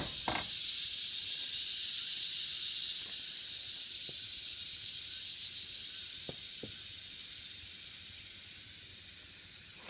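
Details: Continuous high, hissing drone of cicadas that slowly fades over ten seconds, broken by a few sharp clicks and knocks nearby.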